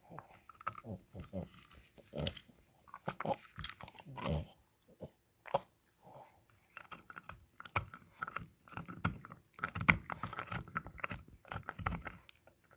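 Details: Taffy, a French Bulldog, gnawing on an antler indoors: irregular crunching and scraping bites in clusters with short pauses, dull knocks between them, in a small quiet room.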